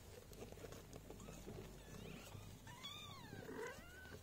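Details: Golden British mother cat caring for her four newborn kittens at Esmeraldus Cattery; after a stretch of rustling, one drawn-out wavering mew slides downward near the end, steady background hiss throughout.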